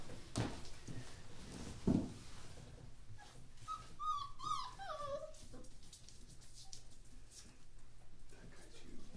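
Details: A litter of 13 German Shorthaired Pointer puppies, born on 1 January 2014, indoors after eating. A few short, thin whines slide downward midway, with soft knocks and a quiet room around them.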